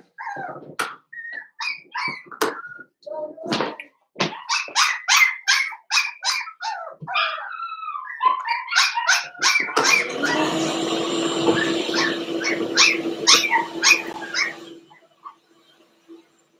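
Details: Cavalier King Charles Spaniel puppies, Blenheim-coloured, from a litter of five born on New Year's, yip and whine in an indoor pen. The calls grow into rapid, high yapping, then a steady rustling noise with a low hum covers the later part.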